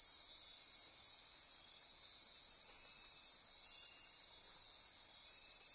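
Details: Dense nocturnal insect chorus in Costa Rica rainforest near Corcovado National Park, Osa Peninsula, at midnight: steady high shrill trilling and buzzing bands layered together, with faint pulsing and ratcheting, continuous without pause.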